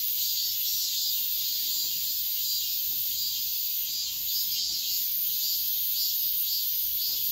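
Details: Cicadas singing at dawn in midsummer: a dense, continuous high buzzing drone with steady loudness throughout and no other clear sounds.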